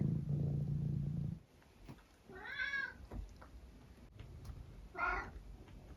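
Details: Domestic tabby cat making varied meows during breakfast time in the morning: a low steady hum for the first second, then two separate drawn-out, wavering meows about two and a half seconds apart, indoors.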